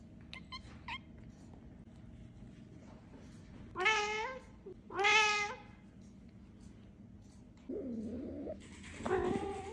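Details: Two pet cats, one talkative, indoors: a pair of loud, harmonic drawn-out meows close together, then a softer wavering meow and a final rising meow, with quiet room hum between.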